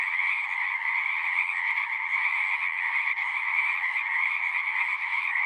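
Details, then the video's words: Unbroken frog chorus of countless overlapping voices, a bright high-pitched trilling over a lower throaty band, holding a constant level with small flickers of individual calls. "One hour of singing frogs."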